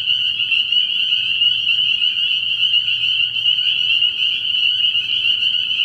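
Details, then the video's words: A frog pond at night in early spring filled with spring peepers, countless shrill peeps fused into one loud, steady high band, with a quiet low drone in the background. "Relaxing Tree Frog Sounds"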